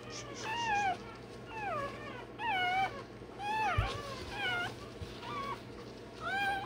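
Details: A one-day-old Rottweiler pup squeals during tail docking and dewclaw removal, giving high, bending cries about once a second, each sliding up and then down, with a constant low electrical hum behind.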